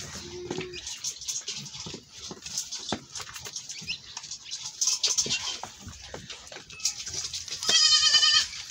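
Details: Goat escaping after milking; mostly scraping and handling noise, then a short, bright, wavering bleat just before the end.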